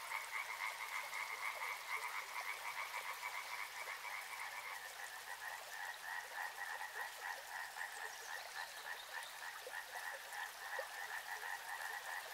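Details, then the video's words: Frog chorus by a river: overlapping fast pulsing trills in a continuous drone, one band of callers shifting slightly lower midway, with faint scattered croaks beneath. "Soothing sounds of river and frogs"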